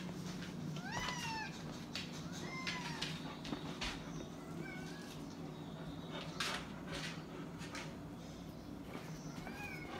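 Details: Indoors at dinner time, Jimmi J the cat gives a series of short, bent meows that rise and fall, repeated every second or two over ten seconds, amid clicks, footsteps and steady background rumble, with Boxer dog Kandy nearby.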